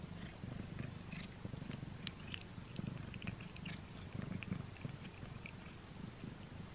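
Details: Domestic cat chewing a string treat on its first try, heard close up; continuous deep purr-like rumble under frequent crisp clicking and crunching chew sounds, denser in the middle of the stretch.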